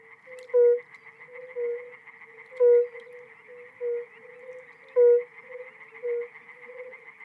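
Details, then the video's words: Spring evening chorus of tree frogs and toads in Europe: a steady high trilling drone runs throughout, while louder low croaking notes stand out about every two and a half seconds, with softer answering croaks between them. "En una tarde de primavera, el aire se llena de llamadas de las ranas arbóreas y los sapos."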